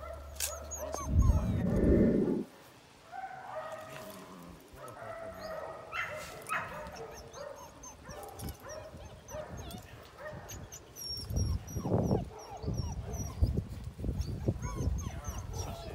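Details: Eight-week-old female Belgian Malinois puppy, trained in bitework, filmed in 2019: a loud scuffle early on, then scattered high yips, whimpers and short barks repeating irregularly, with people talking in the background.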